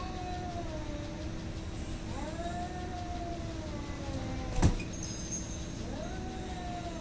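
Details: Fighting cats hating each other; slow, moaning yowls that bend up and down, fainter than the background rumble, with a sharp click near the middle.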